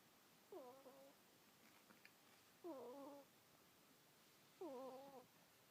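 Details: Kuuta, a sleeping pet ferret, snores in soft squeaky whistles. Three short harmonic breaths, each wavering and slightly falling, come about every two seconds against low room hiss.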